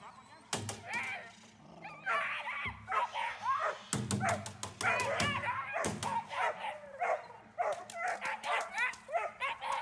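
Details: Dornan, a German Shepherd, barks in fast energetic bursts during protection training, punctuated by loud cracking impacts and snapping sounds, with some human speech mixed in.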